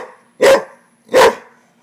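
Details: Rottweiler LuLu confronting a frog with two loud, explosive barks about three-quarters of a second apart, a faint hum underneath.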